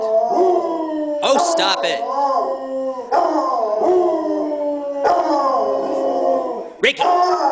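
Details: Several pet dogs, Sugar, Rickey and Lana, howling together indoors: long sustained tonal howls with layered harmonics, holding steady then sliding and wavering, each run lasting about two seconds before restarting, with overlapping voices.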